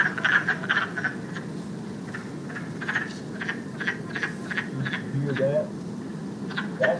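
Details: Chorus of wood frogs, a true frog of West Virginia, giving rapid cracking, clucking calls that sound like ducks chattering in a pond; short raspy notes come irregularly, about three per second, over steady low rumble.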